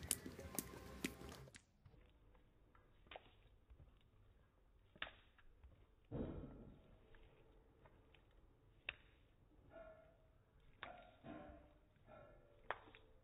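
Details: A female Vizsla, filmed in slow motion, licks and smacks at peanut butter, making wet clicking and slurping noises at irregular intervals.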